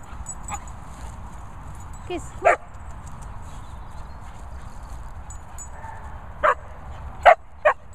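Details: Cocker Spaniel starting to play with a Pointer. Short, sharp barks and yips come singly near the start, then in a quick cluster of three toward the end. A person's voice and a low rustling background are also heard.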